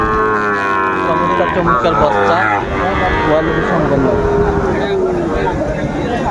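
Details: Sahiwal bull calves at the busy Ambari haat cattle market in Dinajpur, Bangladesh, on 27 May 2024. A loud, long lowing moo opens the clip, then wavering moos follow over traders' bargaining voices and crowd noise.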